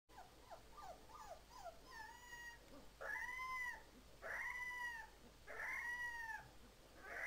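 A Siberian Husky puppy gives quick yips, then drawn-out, high, wavering howls that rise and fall.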